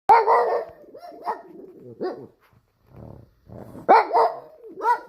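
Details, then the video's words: Pug dog barking: loud, harsh barks in quick bursts, a strong double bark at the start and again near the end, with softer gruff yelps and a brief quiet gap between them. "Pug dog barking/パグ犬吠える"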